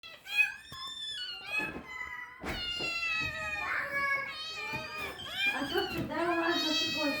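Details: Several cats being fed, giving overlapping, drawn-out harmonic meows, some rising then falling, almost continuously, while a person talks to them in Turkish.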